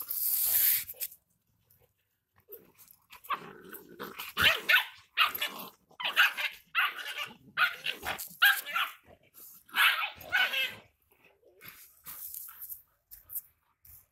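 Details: Rottweiler offered as a fighting dog, giving short, harsh barks in irregular bursts, some closely paired, with quiet gaps between, recorded at close range.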